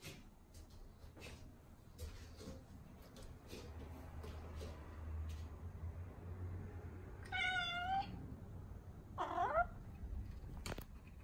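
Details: Indoor Norwegian Forest Cat seeking attention, giving two drawn-out meows about two seconds apart, the first steady and nasal, the second sliding up then down, after several seconds of soft rustling and low household hum.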